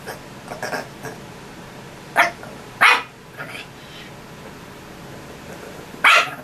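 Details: A pet dog calling its owner to dry its fur: short, sharp, strained barks at about two, three and six seconds, with softer yelps between, in a quiet indoor room.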